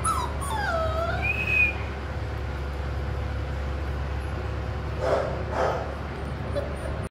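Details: Six-week-old Dogo Argentino puppy of imported parentage whining: thin, high falling whimpers, then a rising whistle-like whine, a long quiet pause, and two short breathy yelps near the end against a low hum.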